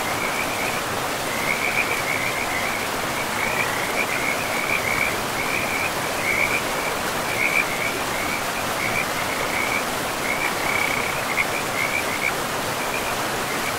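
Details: Beside a forest river, frogs keep up a steady series of short pulsed trills at one pitch, bursts following each other every second or so, all set against the constant hiss of running water.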